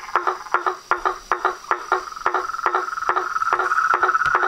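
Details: Night chorus of frogs, toads and treefrogs. Distinct knocking croaks come in quick bursts about twice a second, while a high continuous trill swells louder toward the end.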